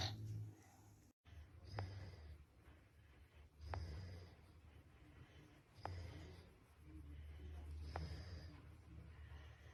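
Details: Peaceful bulldog fast asleep and snoring. Low rumbling inhales alternate with sharp, wheezy snorts, repeating roughly every two seconds in a steady rhythm against soft background hiss.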